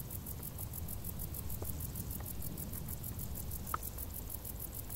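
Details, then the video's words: Crickets in tall grass during a hot summer: a high, thin chirping pulses about five times per second in an even row above a loud, low rumbling background, with a few faint clicks. "Grilli | suoni dall'erba alta"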